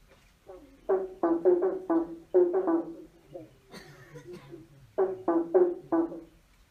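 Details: Under a bridge, frogs give loud, buzzy croaks in quick clusters of three or four, separated by quiet gaps and a brief hissing noise.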